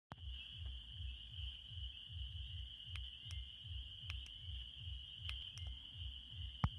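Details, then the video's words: Frogs singing on a summer night in Indiana, heard from a porch: a continuous high trilling drone holding steady, with a low rhythmic pulsing beat repeating about three times a second and occasional sharp clicks. "frogs in the indiana summer"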